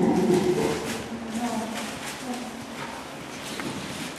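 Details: Two chimpanzees at a Nagoya zoo in May 2016 laugh while playing, in soft, breathy panting grunts, quickly repeated in an uneven rhythm.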